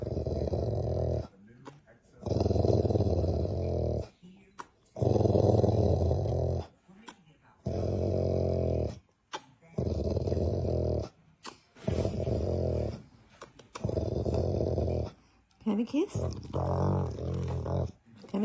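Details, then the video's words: A dog asleep, giving loud, low, grating snores in drawn-out buzzy bursts, roughly every two seconds with brief silent pauses, and a few higher whiny tones near the end. "dog snoring..."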